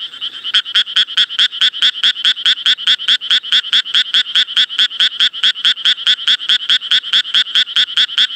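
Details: Japanese tree frog giving a steady run of loud, grating croaks at a regular rate of a little over two per second, continuing for the whole stretch with no other sounds.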